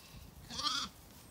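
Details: A Zwartbles lamb on a County Kilkenny, Ireland farm, left behind as ewes and lambs return to the garden paddock for the night, gives a single loud, quavering bleat calling for the flock.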